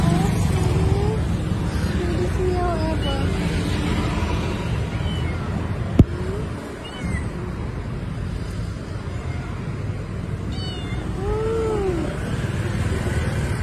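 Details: A stray street cat at night, asking for food, gives several short arched meows, rising then falling, scattered through the clip, with a louder pair near the end, all over a constant low rumble.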